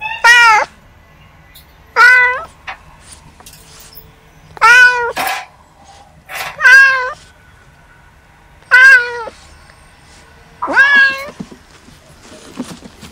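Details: Kittens at play, practising hunting skills, give six loud, clear meows spaced about two seconds apart, each a short arched wail, with quiet gaps between.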